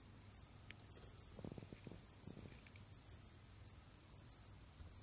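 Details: Pet Jamaican field crickets (Gryllus assimilis) exploring, digging and hunting; high, ringing chirps in pairs and triplets, interrupted once by a brief low rustling scrape, over a quiet hum.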